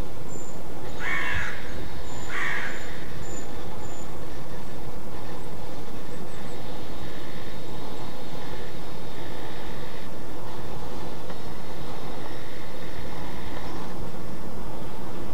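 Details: Alarm barking of a roe deer: two rough, clipped barks in quick succession early on, then only a steady hiss of background noise.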